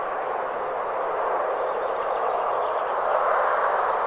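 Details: Red cicada (Tibicina haematodes) singing at a motorway service area in Vienne, France, 27 June 2023: a continuous harsh, grainy buzz with an even high sizzling band over it, holding steady for four seconds.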